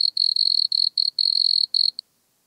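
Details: A wood cricket (Nemobius sylvestris) sings a soft, high purring trill in bursts broken by brief pauses, recorded at Altenberg, Austria, on 9 August 2022.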